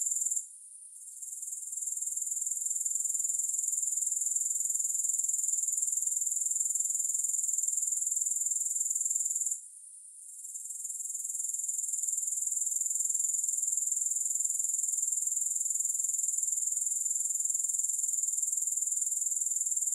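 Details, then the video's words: Grasshoppers stridulating, with no music: a high, shrill, steady trill of rapid pulses that drops out briefly twice, near the start and about halfway through, then resumes at full strength. "Grass Hopper Sounds"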